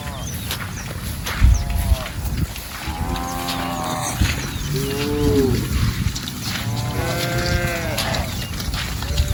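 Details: A herd of cows wandering through a rice paddy while grazing; several harmonic moos arch and fall in pitch, some overlapping, spaced a few seconds apart, over low rumbling background noise.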